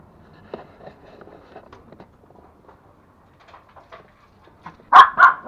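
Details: Two toy Pomeranians, Pomo (male) and Pomy (female), pets at home in Kathmandu, Nepal, playing and fighting; soft yips and grumbles build to two loud, sharp barks near the end, a name called out just before.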